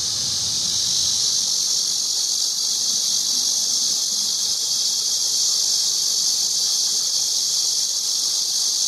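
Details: Recorded cicada: one unbroken, loud, very high buzzing hiss, constant in pitch and volume from start to finish, with nothing else clearly audible.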